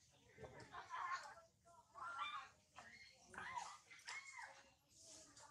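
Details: Baby girl monkey named Sario crying hard from hunger, repeated high, wavering whimpering cries in bursts about a second apart, with short pauses between, in a small indoor room with faint background noise.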